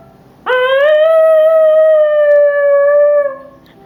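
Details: Miniature schnauzer giving a single sustained howl that rises sharply at the start, then holds a steady, clear, slightly wavering tone for nearly three seconds before fading.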